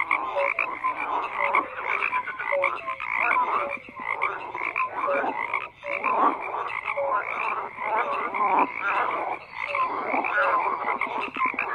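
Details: Many frogs croak together in a thick, continuous chorus of rattling, pulsed calls, with a few brief piping notes near the start and a short lull just before the midpoint.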